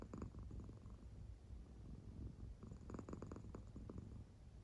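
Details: An American Shorthair cat sound asleep, snoring-like purring as its belly rises and falls; a steady low rumble, stronger at the start and again from about two and a half to four seconds.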